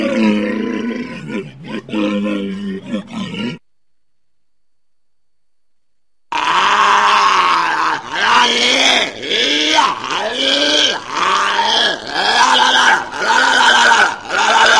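A walrus gives deep, rasping grunts and bellows, repeated in quick arching pulses.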